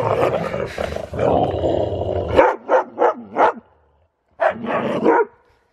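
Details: Siberian Husky playing wildly in fresh snow with zoomies, heard in a run of short sharp barks after a rough, noisy opening, then a pause and two more barks.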